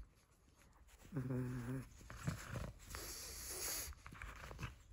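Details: Female pug Nova at play with a crinkle toy gives a short, low, buzzy grunting snort, followed by steady rough, noisy breathing and light rustling of the toy.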